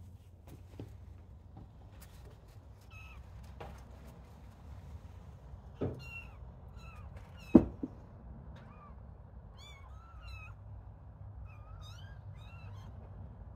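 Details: Little kittens playing, starting to play with people; repeated small high mews, short harmonic chirps rising and falling, scattered through the middle and end, with thumps and knocks of play and a low background hum.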